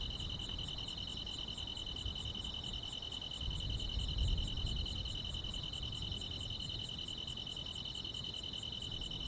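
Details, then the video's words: A summer-night mix of grass insects: a steady shrill trill, fast faint ticks above it, and a separate very high, sharp chirp repeating about every two-thirds of a second, with light low-frequency noise. "여름밤의 포근한 풀벌레 소리"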